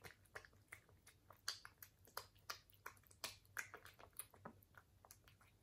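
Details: Chewing from a British Shorthair cat: bright snapping crunches spaced unevenly, some in quick pairs, against a faint constant low hum.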